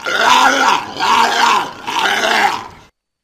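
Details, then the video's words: Walrus making three loud, raspy bellowing grunts in quick succession, each rough and arched in pitch, ending abruptly in silence. "Walrus Sounds - Funny Noises"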